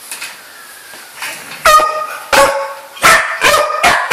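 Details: Pet dog barking indoors: after a quiet start, a run of loud, clipped barks in an uneven rhythm, about five of them in the latter half.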